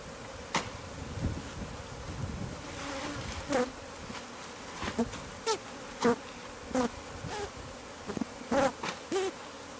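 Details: Bees from a hive found inside house walls during removal: a soft steady drone broken by repeated sharp knocks and thuds from the work, roughly every second in the latter half.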